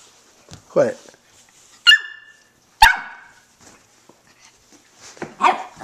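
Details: One-year-old Jack Russell Terrier and Shih Tzu mix dog, kept with other household dogs, barking indoors: two sharp, ringing barks in the middle, framed by rising yelping whines at the start and end, about four calls in six seconds.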